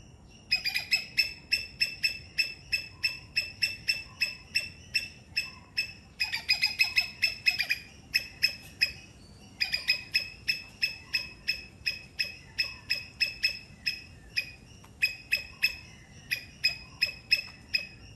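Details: Three-striped palm squirrel from Sri Lanka calling in rapid bursts of high, sharp chips, sometimes trilled together, broken by brief pauses, over a faint steady background hiss.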